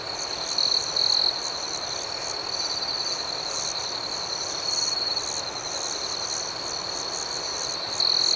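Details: Nighttime crickets chirping in a continuous high-pitched chorus, the even shrill drone overlaid with short louder trilled bursts at the beginning and the very end.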